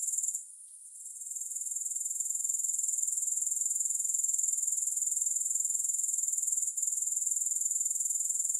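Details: Grasshopper chorus without music opens with a short lull. The high, rapidly pulsing trill then rises back and runs steadily, with one tiny break near the end.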